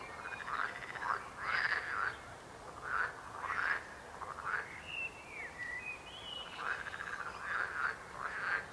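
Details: Chorus of frogs croaking in uneven pulsed bursts, a pause in the middle filled by sliding whistled bird notes, then the croaking resumes.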